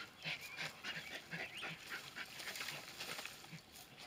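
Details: Terriers Senn and Bodie working a groundhog, known as a whistle pig: high, wavering whines rise and fall in quick overlapping bursts, with steady breathy noise beneath and soft low thumps.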